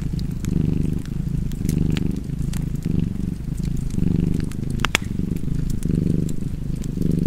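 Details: Cat purrs in a deep, buzzing rumble with breath-paced swells, while a fireplace crackles and pops throughout, one sharp snap standing out midway.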